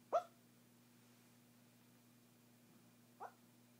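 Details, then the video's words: Sleeping dog giving two muffled little barks about three seconds apart, the first louder, against a steady electrical hum in a quiet room. "Sleep barking"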